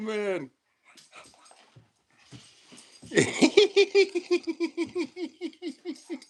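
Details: Male Dobermann indoors, in a play stance during a door-knock game, excited as the owner's wife comes in. After a high-pitched human voice and laughter, a rapid run of about fourteen short, even, whining yelps, roughly four per second.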